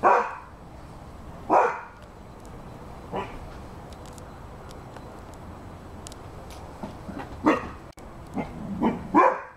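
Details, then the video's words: Barking Rhodesian Ridgeback dog: three barks roughly every one and a half seconds, a quiet gap of about four seconds, then a faster run of four barks. "Rhodesian Ridgeback dog barking"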